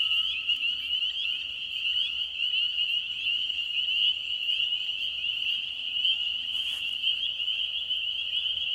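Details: Frogs likened to a car alarm, massed high-pitched trilling forming an unbroken shrill drone for the whole stretch, with a brief rustle near the end.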